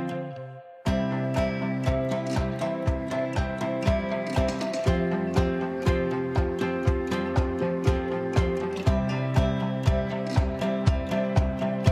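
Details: Strummed acoustic guitar music plays steadily with a regular beat, and no animal sound is heard.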